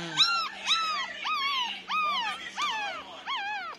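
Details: Young Pomeranian puppies, nine days old, whimpering in a steady run of about seven short cries, each a quick upward swoop that drops away, repeated roughly every half second.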